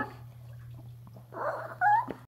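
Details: Female Chihuahua about to turn eleven, vocal 'talking' at bathtime indoors: after a quiet stretch, a short whiny, rising and wavering sound of under a second, with a faint room hum behind it.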